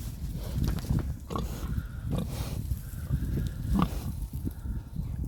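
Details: Sleeping pigs snoring on a farm: a low, rumbling, grunting drone of breaths that swell and fade irregularly, with occasional brief higher snorts.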